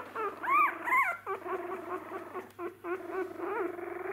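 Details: Young Jack Russell Terrier puppies at the eye-opening, first-steps stage; loud arched squeals early, then sustained wavering whines and short chirpy yelps overlapping, several pups calling at once, faint steady hum indoors.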